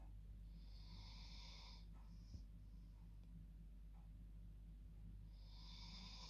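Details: Dog asleep in her bed at bedtime, snoring like a person: a long raspy inhaled snore, a short whistle, a pause, then another snore beginning, over a constant low hum.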